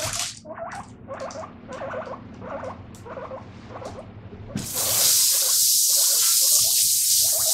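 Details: Guinea pig kept as a pet gives quick chirpy squeaks in regular pulses while its owner washes dishes; after about four seconds a loud gush of running tap water drowns most of the calling.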